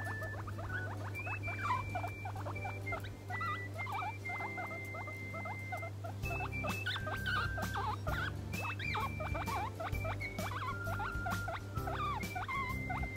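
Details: A pet guinea pig, tucked into a foot warmer and melting while being stroked, makes a steady stream of soft chattering squeaks and thin whistles over a low hum.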